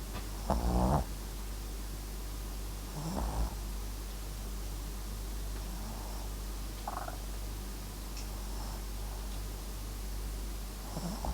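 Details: Papillon and Japanese Chin mix dog asleep, giving a couple of soft, grating low snores near the start, then fainter, quieter breathing snuffles in a still indoor setting.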